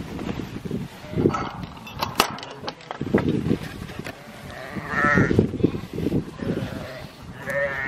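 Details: Sheep with two-week-old lambs being worked by Border Collies and a Kelpie; a few short harmonic bleats rise out of trampling and rustling while a man calls Dutch commands to the dogs.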